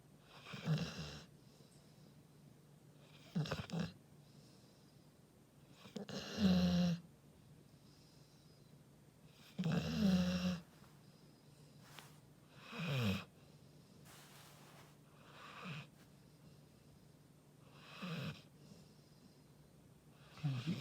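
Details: Labrador Retriever sleeping, quieter snuffling snores and noisy breaths recurring every two to three seconds, softer and breathier than full snoring, with a faint hiss throughout.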